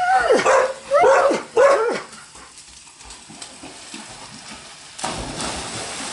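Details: Dogs, Labradors and a husky-akita mix, playing in a pool at a home boarding yard in Granada Hills, California; three sharp barks in quick succession, then splashing water hiss and a person calling.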